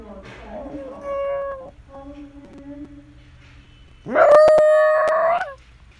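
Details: Shiba Inu dog indoors at home, howling (吹狗雷): a wavering, drawn-out tonal cry opens, then after a pause a louder, sustained, rising howl with rich harmonics lasts about a second and a half, with a few sharp clicks.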